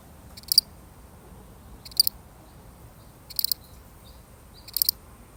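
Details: A single lone cricket, real recording; short high chirps made of two or three quick pulses, repeated roughly every one and a half seconds against a quiet background.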